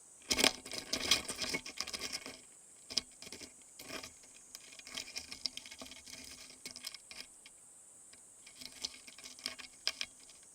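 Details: A small stag beetle in Japan gives dry, irregular clicks and scratchy bursts, challenging a larger one to a fight.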